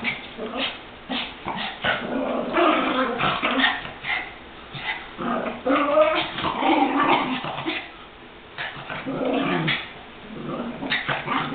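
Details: Chihuahuas kept as pets wrestling in play or fighting; sustained throaty growls and snarls broken by quick high yips, with brief quieter pauses near the end.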